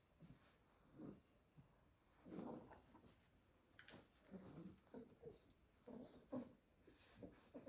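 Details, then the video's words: Exhausted Staffordshire Bull Terrier puppies sleeping together in a basket after playing all day in the garden. Gentle snorts and raspy snoring breaths repeat irregularly, under a second or two apart, in a small quiet room. "A basket full of snoring staffy puppies"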